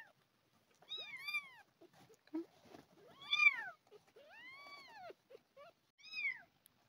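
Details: Hungry abandoned kitten being syringe-fed milk replacement gives several clear, rising-then-falling meows spaced unevenly over a few seconds, with faint small clicks and rustles between them.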